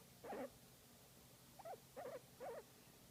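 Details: Pet guinea pig making cute sounds during a massage: one wavering squeak, a pause, then three quick warbling squeaks in a row, over a quiet background hum.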